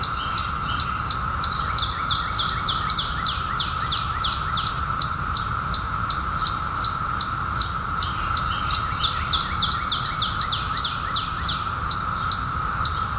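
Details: Periodical cicadas from the 2021 emergence after 17 years underground, a steady even droning hum held without a break, overlaid by quick, high, downward-sweeping chirps repeated nearly three times a second from another caller.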